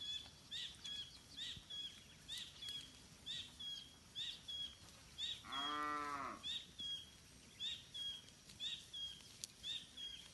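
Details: Free-roaming village cattle grazing in a rice field: one drawn-out lowing moo, backed by a steady series of short high chirps repeating roughly every half second from another animal.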